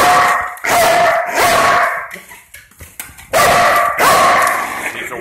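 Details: Belgian Malinois police dog guarding the front door in a simulated break-in, two bouts of loud, forceful barks separated by a quieter stretch with a person speaking.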